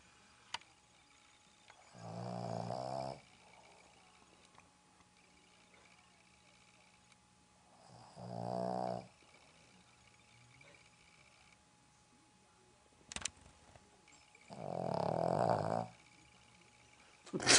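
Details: Roxy, a Boston Terrier, sleeping indoors at a home in Dallas, snores in three long, harmonic, nasal rasps about every six seconds, each lasting roughly a second, with quiet pauses between and a faint steady hum in the background.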